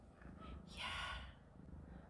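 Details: Yard-raised kittens, 13 days old with eyes just opened, four siblings jostling over the teat to nurse beside their mother Jisun; a single high, thin mew lasting about half a second, with a low background rumble.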